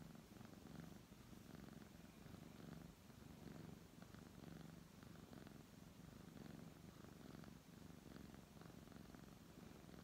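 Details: Continuous low purring from a brown tabby cat as it is stroked, the rumble rising and easing in regular breath-length waves over ten seconds, nothing else audible.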